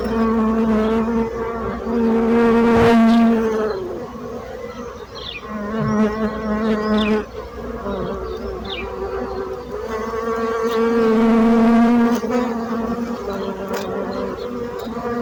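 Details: Buzzing bees: a droning wingbeat hum with clear stacked overtones whose pitch wavers and slides as insects pass close, swelling loudest around the third and twelfth seconds, then easing off.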